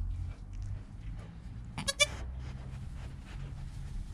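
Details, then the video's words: Newborn goat kid named Joel, recorded on a GoPro within an hour of his birth with his calm mother Penny nearby: one short, bright, harmonic bleat rising out of a low, rumbling indoor background. "4K Baby Goat - One Hour Sound and Video"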